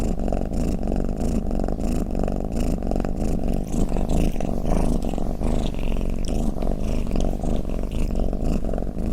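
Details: Pet cat purring or snoring, a deep continuous rumble of quick pulses, with some faint higher rustling sounds near the middle of the recording.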